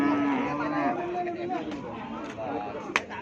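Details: Cattle at Keppo market in Pamekasan before Eid al-Adha: a steady, drawn-out lowing moo for about a second, then fainter overlapping moos and a sharp clack, with constant market chatter and background noise.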